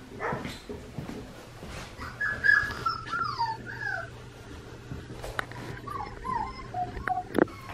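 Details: Red merle male Australian Shepherd puppy, four weeks old, from Magnolia and Grady at Fifteen Acre Farms in Oklahoma, 15 November 2019. Thin, wavering whimpers slide up and down in short bends, with soft scuffling and a steady low electrical hum.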